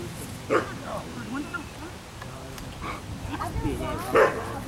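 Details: Ava, an Afghan Hound at a picnic, gives two short, sharp barks, one near the start and one near the end, while people keep talking throughout.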